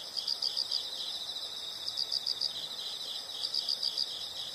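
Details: Insects chirping as a calming nature sound: a steady high pulsed trill with brighter bursts of about five quick chirps every one and a half seconds, over a faint background hiss.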